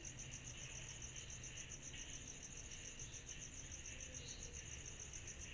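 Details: On a summer night, cicadas keep up a continuous high, rapidly pulsing trill, with a faint shimmering wash of further insects and a low background rumble.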